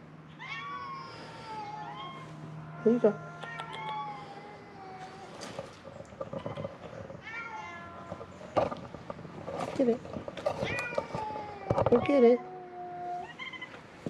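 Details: Feral cats at Mare Island Naval Shipyard in Vallejo, California, crying in hope of food as they are fed; scattered short meows, loudest around the middle and near the end, mixed with a man's speech, clicks and a low hum.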